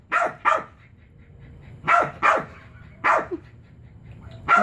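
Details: Chihuahua trying to pull a frisbee off a chair, barking in sharp doubled yaps spaced about a second apart, with faint chatter between; the owner urges it on.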